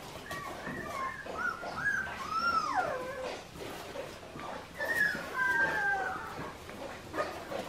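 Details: Australian Shepherd puppies from Clementine's litter at an Oklahoma breeding farm, indoors, giving high, wavering whimpers that rise and fall in drawn-out arcs, in two bursts a few seconds apart, over a soft background hiss.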